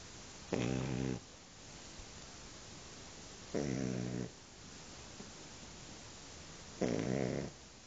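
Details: Shar Pei dog snoring in its sleep: three evenly spaced rasping snores, each under a second long and about three seconds apart, with quiet breathing in between.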